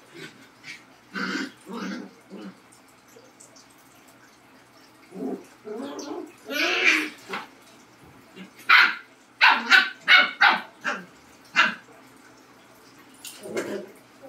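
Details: Two dogs, a Labrador and a Husky, barking back and forth: scattered single barks, a long, wavering yowl midway, then a quick run of sharp, loud barks before a final pair.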